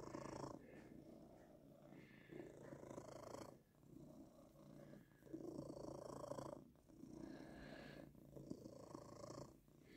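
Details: Male cat purring indoors while being stroked, called a purring machine by his owner; continuous low, throbbing purr at about four pulses per second, rising and falling in loudness over ten seconds, with faint stroking noises.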